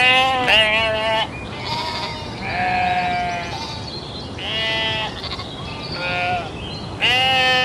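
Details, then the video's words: Domesticated sheep, several voices bleating in turn, some short and abrupt, others drawn out and quavering, higher and lower-pitched calls overlapping across the recording. "SHEEP SOUNDS"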